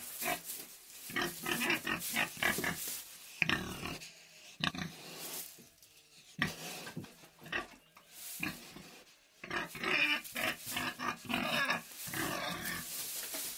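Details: Pig in its sty making a long run of harsh grunts and snorts in clustered bursts, broken by short pauses, with sharper squealing calls near the end.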